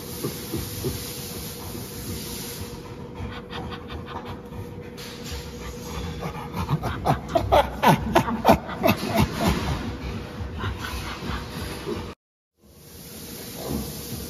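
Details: Captive chimpanzee at Chimpanzee Sanctuary Northwest chattering in a burst of rhythmic, breathy panting pulses, about three per second and building in the middle, over a steady background hum; the sound cuts out briefly near the end.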